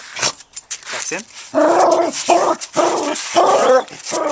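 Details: Jackson, a pet dog playing with his brick in a backyard, gives a run of short, harmonic growly vocalizations, roughly two per second, mixed with a person's voice urging him to take it easy.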